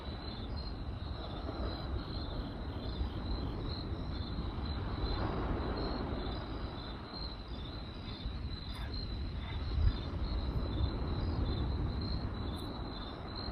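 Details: Crickets at night give rapid, fairly irregular high chirps, roughly three or four per second, alongside crackling campfire sounds and a low steady rumble.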